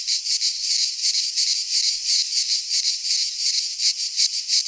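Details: Cicadas singing in a Greek pine forest in midsummer: a dense, hissing buzz pulsing about three times per second, steady and unbroken throughout, with no other sounds.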